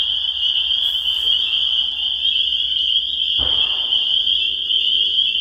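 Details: Chorus of spring peepers, a continuous high-pitched shrill drone of countless overlapping peeps, steady in loudness throughout, with one brief dull knock partway through.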